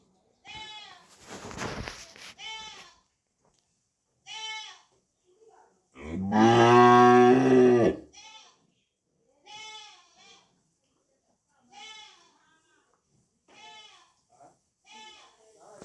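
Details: Holstein Friesian cattle on a farm in Bogura, Bangladesh, holding about 30 head: one loud, deep, drawn-out moo lasting about two seconds mid-clip, framed by shorter, higher, quavering bleat-like calls from other animals repeating before and after.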